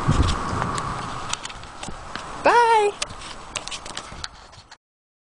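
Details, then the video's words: Appaloosa mare Moonshadow ridden in 2010-2011 on outings through Sherman, past The Rail Golf Course and along Riverside Park trails; crisp clip-clop hoof strikes in steady rhythm, a brief rising tonal voice midway, then sudden silence. "Run Appaloosa Run"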